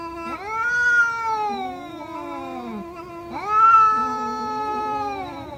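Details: A cat gives two long, plaintive meows about three seconds apart, each starting with a quick upward swoop then sliding slowly down, with softer wavering tones trailing between them.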